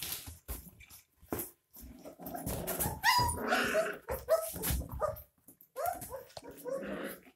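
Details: Several 22-day-old puppies drink milk from a bottle, giving short, rising whimpers and squeaky whines over a steady background of wet suckling and lapping sounds.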